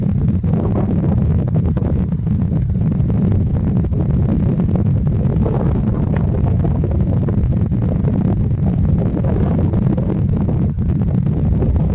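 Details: Only a steady, heavy low rumble of wind or engine noise is heard, with no animal calls.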